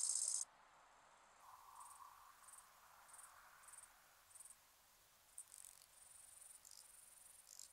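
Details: Orthopteran song with brief high-pitched buzzy pulses repeated roughly every 0.6 seconds. The pulses later merge into longer, thin, sustained buzzes, after a sharp loud burst at the start.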